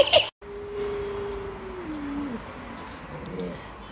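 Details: Luoluo, a pet Alaskan Malamute, reacting to its owner being sick in bed: after a sharp click, a thin, quiet drawn-out howl holds steady, then sags downward and fades, with faint broken follow-up notes over low room noise.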